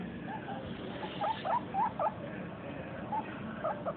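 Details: A female guinea pig eating her food makes a run of short, rising squeaks in a quick cluster, against a soft muffled background.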